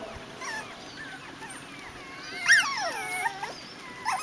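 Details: Biewer Yorkshire Terrier puppies, seven weeks old, in early training with their breeder over a pond bridge and swing; high, wavering whines rise and fall in long arcs, one sharper yelp-like peak midway, then quieter whimpers and a brief rustle.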